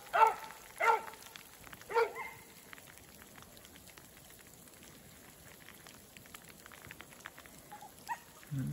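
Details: Beagle siblings Whiskey River (Rio) and Ripley chase a snowshoe hare on fresh snow while rain falls; three short, ringing bays open the moment, followed by quiet rain and a faint yelp near the end.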